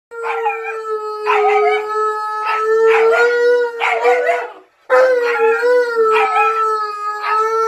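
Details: Siberian Husky puppy howling together with Tonka the Malamute, a daily shared habit: loud sustained tonal howls with rich harmonics, pitch wavering slightly, voices overlapping and breaking briefly near five seconds before resuming.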